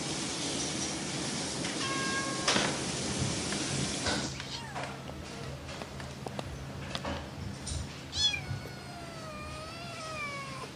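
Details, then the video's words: A playful cat meowing: noisy, rustling first seconds give way to a drawn-out harmonic meow that rises, then slowly bends downward and fades near the end, over a steady low background hum. "Mèo kêu meo meo Chú mèo tinh nghịch Tiếng mèo kêu"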